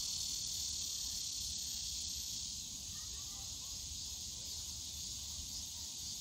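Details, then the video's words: Cicadas buzzing in Yongsan Family Park's bamboo forest on a summer day, an unbroken high electric drone, slightly softening midway, with a few faint thin chirps around the middle and distant low rumble. "용산가족공원 대나무숲 매미소리"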